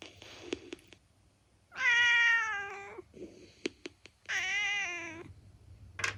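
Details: Black female house cat, seven years old, meowing: two long, harmonic-rich meows of about a second each, gently falling in pitch, with faint clicks and taps between them in a quiet room.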